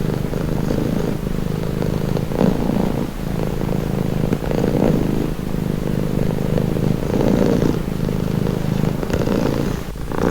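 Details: Relaxing purring from a domestic cat, a continuous low vibrating rumble with rhythmic breathing swells in and out, steady throughout, ending with a faint soft click near the close.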